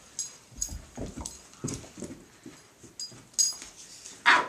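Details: Dog named Mickey playing indoors with Blacky, his favourite toy, letting out a run of short yips and whimpers, roughly one a second, ending on a louder sharp burst.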